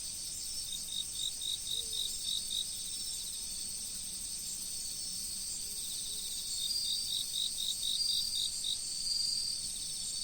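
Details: In an autumn riverside setting, insects trill in fast runs of high pulsed chirps, one train early and another after a pause, set against an unbroken shrill background hum of more insects.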